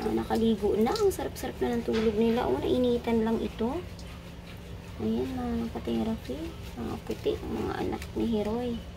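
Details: Several puppies crying loudly while competing for attention: overlapping high, wavering whines that rise and fall almost without break for about four seconds, a short pause, then further bursts of whining over a steady low hum.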